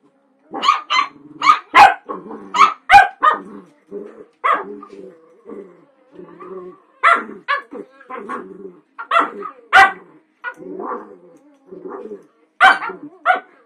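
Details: Small Cavalier King Charles Spaniel named Sophie play fighting indoors with two larger dogs, Hatchi and Pippa; short sharp barks and yips in irregular bursts, interspersed with low growly grumbles between them.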